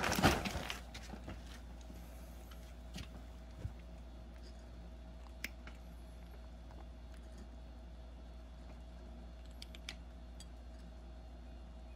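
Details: Quiet indoor room with a low steady hum, a brief clatter at the start and a few faint clicks and knocks, with no animal voice.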